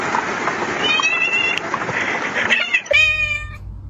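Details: A cat gives one short, clear, harmonic-rich meow near the end. Nearly three seconds of dense, broadband hiss-like background noise come before it, with faint tonal traces.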